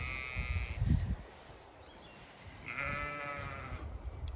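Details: Zwartbles ewes in a field flock under trees in County Kilkenny, Ireland, during lambing checks in chilly wind; two drawn-out, quavering bleats, the second longer, with wind buffeting and thuds between them.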